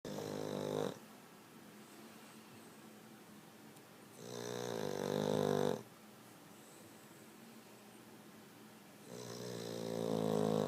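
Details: Boston Terrier snoring loudly while asleep indoors. Three rasping, rumbling snores, each about a second or two long, separated by quiet pauses of roughly three seconds.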